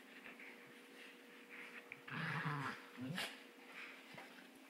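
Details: Two Shetland Sheepdog puppies, six and eight months old, playing indoors: soft whines and a short burst of growly, yelping play noises in the middle, over a steady low hum.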